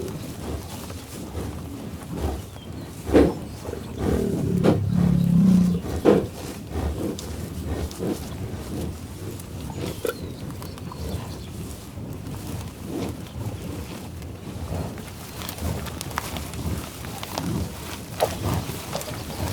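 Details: Buffalo growling loudly and lowing: one deep, drawn-out rumbling growl rises midway through, with scattered low grunts and snorts before and after over a steady rough outdoor background.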